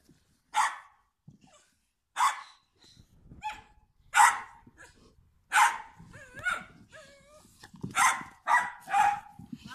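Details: Standard Bull Terrier and American Bulldog; sharp single barks spaced every couple of seconds, growing denser toward the end, mixed with a human voice and short whistle-like tones.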